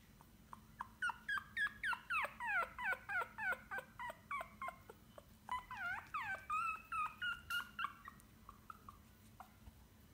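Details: White Pomeranian puppy named Glory from a Chelyabinsk kennel, giving a fast run of high, whining yips, about three per second, each arching up then sliding down, growing more drawn-out midway, over a steady low indoor hum.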